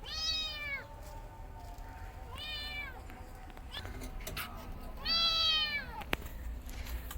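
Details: Three loud, bright kitten meows spaced about two and a half seconds apart, each sharply arched and harmonic-rich, from a cat family where the mother defends herself against her kittens; a few soft clicks between.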